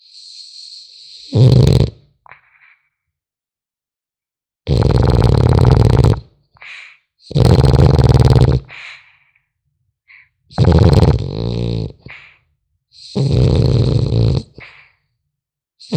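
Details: French Bulldog puppy asleep, snoring in a steady cycle: five loud, rattling low breaths roughly every three seconds, with softer snuffles and little nasal squeaks between them.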